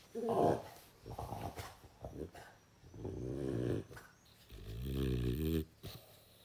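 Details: A French Bulldog begging with pleading eyes, making low drawn-out grumbling growls and whining moans in several rising and falling bursts, indoors.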